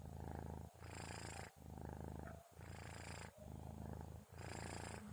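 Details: Sleeping kitten Orens recorded at 2:30 in the early morning, giving a low rumbling snore-purr with breath phases about a second long, brief quiet gaps between each in and out breath.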